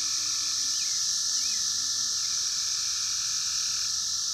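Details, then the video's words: Wild 17-year Brood X cicadas, 2021 emergence, captured on a phone: a constant shrill wall of buzzing sound over a fainter steady lower tone, with a few short rising chirps near the start. "sounds of 17 Year Brood X Cicadas 2021 in the wild"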